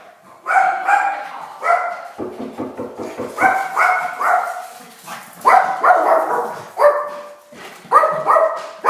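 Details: Tiny dog barking at the doorbell, aimed at visitors: sharp mid-pitched barks in clusters of two or three, a short run of lower rough pulsing in the middle, then more paired barks.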